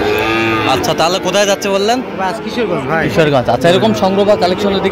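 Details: Sahiwal breed bull calf at a cattle market in Kishoreganj, Bangladesh, 10 October 2025: drawn-out, wavering lowing moos that rise and fall in pitch, with people talking nearby amid the market bustle.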